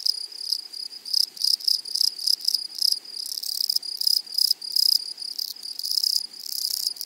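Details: Meadow grasshoppers stridulating: a thin continuous high tone cut by loud rasping bursts of quick pulses, swelling and fading roughly every half second to second, steady throughout.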